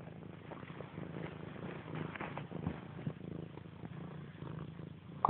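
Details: Playful domestic cat pouncing on a blanket draped over a couch indoors; steady low purring rumble with faint rustling, ending in a sudden louder knock.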